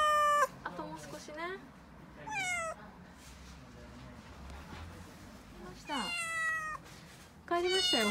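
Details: Panicked crying from a young female calico cat in an Okinawa home during a refrigerator delivery: five separate wailing meows spread across the stretch, some short and falling, others longer, with quieter household rustling and knocks in the gaps.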